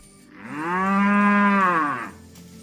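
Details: Tame cattle roaming in a field, lowing to call companions back to the pen: one long, smooth, steady moo with rich harmonics, swelling and fading over about two seconds, with a quiet background.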